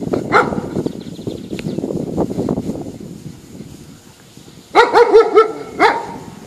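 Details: Poodle gives one sharp bark, then after a pause a quick cluster of three high yapping barks and a final bark, over rustling background noise.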